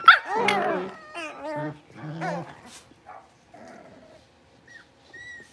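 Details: A litter of five blenheim Cavalier King Charles Spaniel puppies born around New Year, settling into a bigger pen. Several loud, harmonic yelps and whines at the start, then fading to faint, thin squeaks and near quiet.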